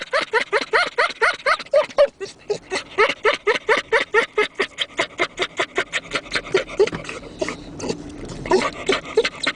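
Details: Dog laughing: a rapid series of breathy, harmonic pulses about three to four per second, voiced and whine-like at first, then more huffing, with a short pause near two seconds.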